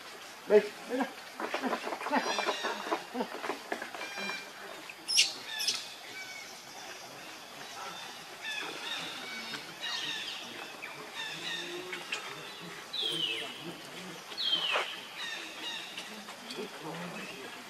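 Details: Baby monkey Leo, very hungry for milk, with Rainbow nearby: a few high, piercing cries that sweep sharply downward, spaced several seconds apart, amid scattered clicks, rustling and other faint background calls.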